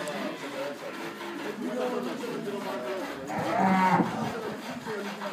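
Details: Crossbred 7/8 Montbéliarde dairy cow on a farm in Bamako, Mali, giving a short, low moo under a second long near the end, over busy background voices and farm noise.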